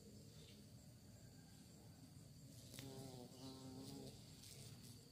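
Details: Steady low buzzing of many bees, said to be looking for prey, with one insect droning nearer in the second half, a wavering whine that swells and then fades back into the hum.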